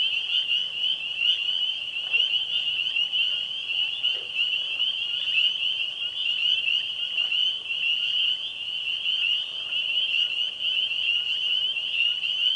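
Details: Frogs calling together at a pond on a spring evening, a mix of tree frogs, spring peepers and green frogs. Constant high piping fills the air, broken by a few short, lower clunking notes at scattered moments.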